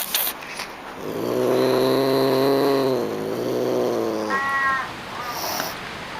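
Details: A Pallas's cat (manul), a feline of the cold, arid high plateaus of Central Asia, gives a drawn-out, nasal, harmonic call, then a brief higher yelp.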